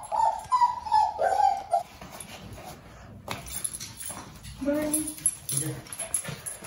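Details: Siya, a female Shih Tzu born February 2020, cries while getting ready for her night walk: a run of high, tonal whimpers, each sliding slightly downward, in the first two seconds, followed by quieter rustling and brief soft voices.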